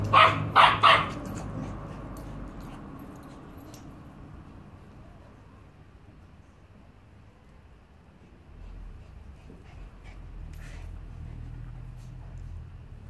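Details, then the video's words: Play session in Salford between Annie, a rescued Staffordshire Bull Terrier aged six, and Bear, a Border Terrier puppy: three quick sharp barks open, then quiet rustling and faint movement sounds with one brief yip later. "Annie the Staffordshire Bull Terrier and Bear the Border Terrier puppy not fighting, mostly"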